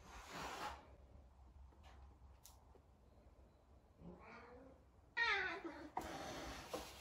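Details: Talkative Savannah cat, Sabian, calling while trying to find another cat, Sabina, indoors. A brief rising, tonal meow midway is followed by a sharper, louder meow, with scattered rustling and clicks around it.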